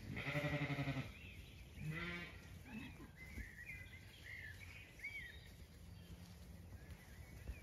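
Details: Zwartbles sheep in a blooming orchard on a County Kilkenny farm in Ireland, evening walk; a loud, wavering one-second bleat opens, followed by a shorter bleat, while small birds chirp and whistle throughout.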